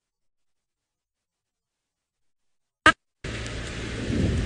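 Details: Silence, then a sharp click and the rumble of rain and distant thunder, with no animal voices.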